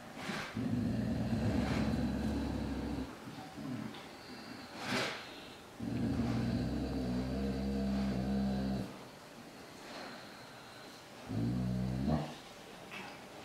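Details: Dog defending its food from a hungry, rather timid tiger cub: low, rumbling growls held for about two to three seconds each, three bouts separated by quiet gaps, with faint background noise.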